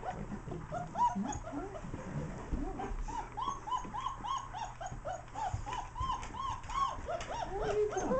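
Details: A litter of German Shepherd puppies, four weeks old and teething, plays with the adult dogs DJ, Tisha and Puggy. They let out steady rows of short, bowed whimpering squeals, overlapping in a rapid chorus throughout, with soft household background.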